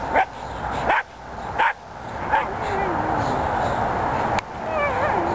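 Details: A Belgian Malinois protection dog in training gives four short, sharp barks spaced under a second apart. The barks are followed by a steady background hiss, with a handler's voice nearby.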